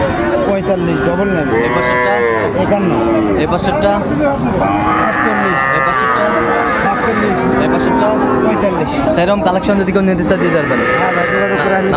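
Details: Bull cattle crowded at a Comilla market in Bangladesh on 5 September 2024 moo almost continuously, arching calls overlapping from several animals, with chatter and crowd noise throughout.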